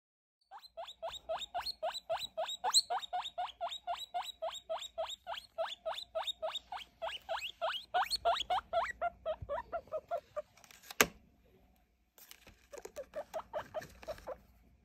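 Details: Baby guinea pig just over three weeks old, during a weight and sex check, giving a long run of rapid, repeated wheeks, about three to four per second, each rising squeal stacked in harmonics; a brief clatter interrupts near the end before the calls resume.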